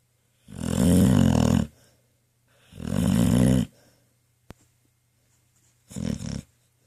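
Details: Ten-year-old pit bull Trauma snores while dreaming in her cozy bed: two long, vibrating rattly snores and a shorter third one, with a brief click between.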